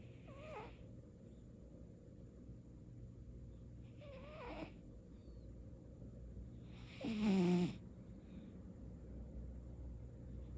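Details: Domestic cat Baekho asleep and snoring for the first time indoors; three separate wheezy snores at about 0.5, 4.3 and 7.3 seconds, each a breathy rush with a faint whistling tone sliding downward, quiet room between them.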